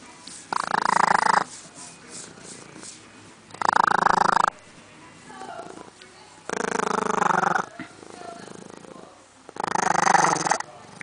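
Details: A pet skunk purring: rough, raspy, broadband bursts about a second long, repeated four times at intervals of two to three seconds, with quiet room sound between them.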